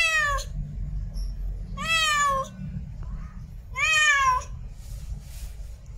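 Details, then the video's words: In heat, a female cat meows to attract a mate: three strong, rich, slightly wavering meows roughly two seconds apart, with a low indoor rumble beneath. "REAL CAT IN HEAT MEOWING MATE CALLING"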